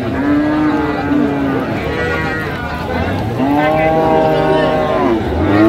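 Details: At Raniganj market in Dinajpur on 29 January 2025, Friesian and crossbred heifer calves give a short moo, then after a pause a longer wavering lowing call, surrounded by crowd murmur and voices.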